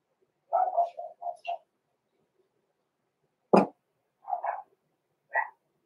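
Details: Six-week-old blenheim Cavalier King Charles Spaniel puppies, Roman and Blue, in an indoor puppy pen, born November 14, 2022. A quick run of soft, mid-pitched yips and whimpers, then one sharp bark, then two more short yelps.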